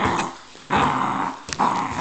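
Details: Two-month-old beagle puppy growling while playing with his soccer ball indoors, recorded January 28, 2006; rough, low growls in bursts with short gaps, as someone repeatedly tells him to let go.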